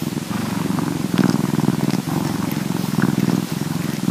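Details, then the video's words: Purring Bombay cat as it cleans, field recording; continuous low pulsing purr in cycles of about a second, with soft higher clicks from grooming. "Our Bombay Cat Purring and Cleaning"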